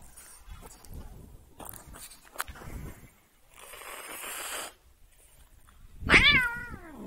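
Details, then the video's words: An annoyed domestic cat lets out a single loud, falling meow near the end. Before it come indoor shuffling, clicks and a stretch of hissy background noise. "Annoying the cat"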